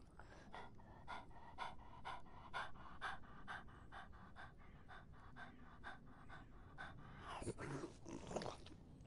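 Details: A dog drinking during the hot summer: steady wet lapping strokes, about two per second, short and clicky, ending with a louder, messier splashing burst near the end.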